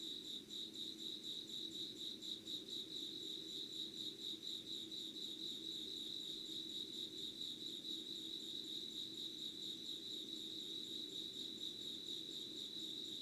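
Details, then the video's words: Dawn insect sounds recorded 25 August 2019 at 05:00 without editing: an unbroken, rapidly throbbing high-pitched ringing trill dominates, backed by a quiet low-pitched hum. "Sounds of insects with candle light.☆ろうそくの灯りと虫の声"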